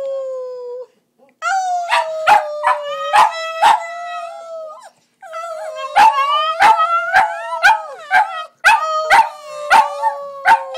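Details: Border Terriers howling together while their owner sings along; long steady wavering howls, rich in overtones, broken by sharp yelping pulses about twice a second, with a brief silence midway before the chorus resumes.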